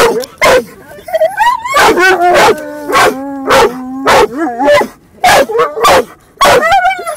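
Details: Dog in a car, barking funnily as another dog moves around; sharp barks alternate with drawn-out, steady whining tones, some held about a second, then a short wavering yodel before more barks.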